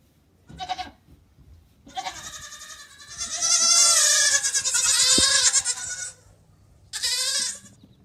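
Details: Goat giving a short bleat, then a long, loud, quavering bleat of about four seconds, and a final brief bleat, in a quiet setting.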